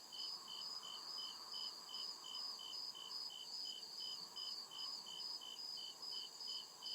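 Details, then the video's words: Woodland crickets at night: quick, evenly spaced high chirps, slightly faster than two per second, backed by a continuous piercing buzz and a low steady hum. "CRICKET CHIRPING SOUND"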